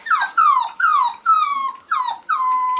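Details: Male Pomsky pups, five weeks old, sired by Dash out of Winter, let out loud drawn-out whines, six in a row roughly every half second, each sliding steeply downward from a high start and trailing off.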